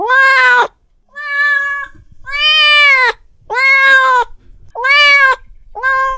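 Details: An angry domestic cat gives six loud, drawn-out meows in quick succession, each a rich harmonic wail that rises slightly then falls, with short silent gaps between calls and a faint background rustle.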